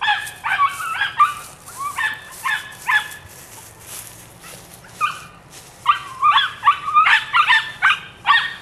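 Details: Rapid, high-pitched yipping from a female puppy nine weeks old, Rodin/Katana litter, starting in clusters, thinning in the middle, then building to a dense, excited string of yaps.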